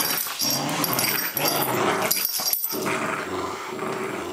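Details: Welsh Springer Spaniel female playing indoors on a wet day, giving a continuous rough growl with snarly bursts amid scuffling play noise.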